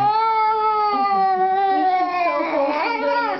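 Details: Edward, a talkative pet cat, gives one long drawn-out crying meow, steady and tonal at first, then wavering and bending in pitch toward the end; loud and close, with no other clear sounds.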